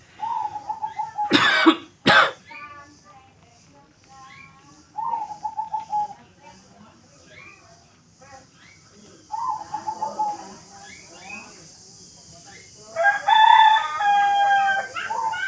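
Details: Kitten angry at a coughing sound: two loud human coughs early on, then short, wavering, mid-pitched mewing cries with harmonics come in bursts every few seconds, ending in a louder, drawn-out complaint.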